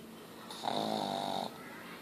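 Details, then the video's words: Ozzy, a pet pug, snoring loudly: one drawn-out rasping, whistly breath lasting about a second, with a steady buzzing tone and a higher hiss above, then quiet. "Meu pug Ozzy roncando"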